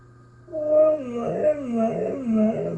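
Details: Pet husky giving a 'talking' howl in a home, a wavering, yodelling vocalisation rising and falling for about two seconds while its owner speaks affectionately to it.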